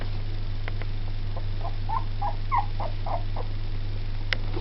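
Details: Two-week-old Jack Russell Terrier and Yorkshire Terrier cross puppies giving a run of short, soft, mid-pitched squeaks and whimpers, several per second, over a steady low electrical hum.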